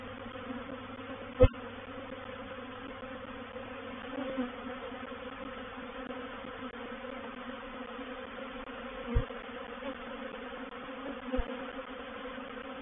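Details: Honey bees of a reproductive swarm entering a bait hive, or swarm trap, at Painted Peacock Manor, 04/07/21; a constant low, layered hum holds steady, broken by three or four sharp knocks or taps.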